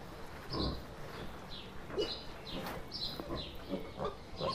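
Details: Wild boar giving short, rough, low grunts at irregular intervals, about five or six within a few seconds, with faint high bird chirps in the background.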